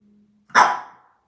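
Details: A single short dog bark, sharp onset with a quick fade, preceded by a faint low hum and followed by silence.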